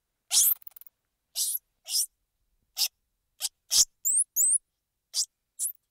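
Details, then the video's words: Squirrel monkey sounds: short, harsh broadband bursts like sneezes or hisses, repeated at uneven intervals, with a pair of thin, high, rising-falling chirps near the end; no background sound. "Squirrel Monkey Sound"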